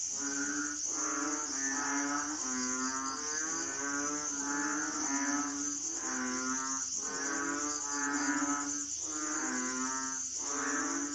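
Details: Asian frogs, locally called hing, crying in a chorus: deep, nasal, droning calls rise and fall about once a second and overlap one another, over a steady high insect buzz.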